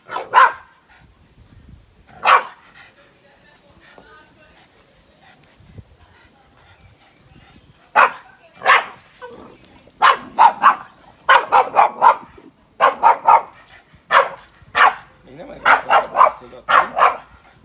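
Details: Yoda, a Boston Terrier, barking at a grill fire: two isolated barks early, a long pause with a man speaking Hungarian softly, then a rapid run of sharp yapping barks, several per second.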